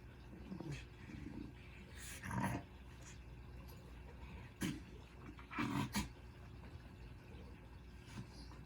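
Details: Very relaxed, overweight female dog asleep indoors, snoring; soft low rumbling breaths broken by a few louder raspy snorts at irregular intervals of a few seconds.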